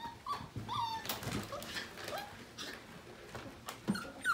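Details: Just-over-five-week-old Portuguese Water Dog puppies playing indoors in the morning; short high yelps and squeaky whines in quick succession amid scuffling and clicks.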